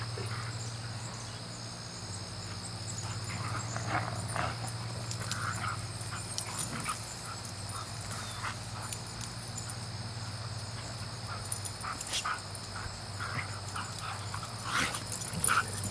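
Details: Two dogs wrestling and grappling with each other; faint, short growling and whimpering bursts scattered through a steady electrical hum, with brief scuffling noises toward the end.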